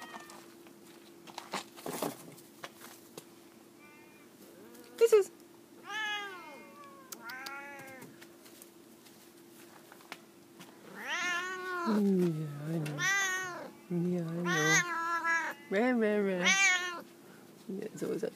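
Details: On their jungle gym, F2 jungle cat hybrids Big boy and Auntie Suzy vocalize: a couple of scattered meows early, then a run of five or six loud, insistent meows, each swooping up and down, with thumps and a steady background hum.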